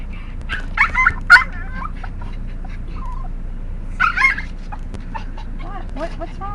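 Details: Pet dog making its strange, funny noise, produced every time the household goes out to get cigarettes; high, warbling whines and yelps in two short bursts, while a person keeps talking to it, asking what it wants.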